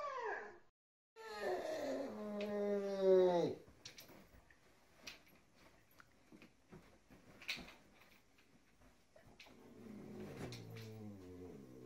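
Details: Siberian Husky "talking" indoors with a drawn-out, harmonic whining howl that slides downward over two seconds, followed by quiet rustling and a faint, low moaning vocalization near the end.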